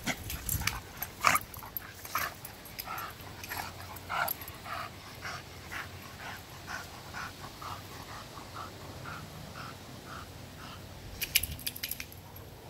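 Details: A bulldog and a vizsla playing together: quick breathy grunts and panting bursts follow one another about every half second, with sharp scuffling clicks and scrapes near the end.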